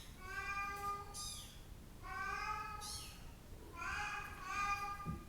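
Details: Brown and blue Bengal kittens at a breeder's: long drawn-out harmonic meows, several kittens calling over each other in three bursts, some rising sharply at the start, indoors.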